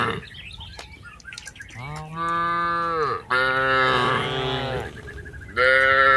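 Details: Tame cattle herded in a rice field low loudly in long drawn moos, one ending with a drop and another starting at once, with faint bird chirps early on.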